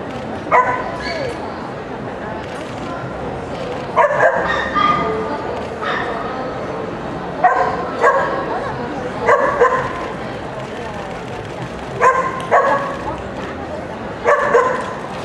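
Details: Toy Poodle at an FCI International event barking repeatedly in bright, high yaps, mostly in quick doubles and triples roughly every one to two seconds, over a continuous background hum of crowd chatter.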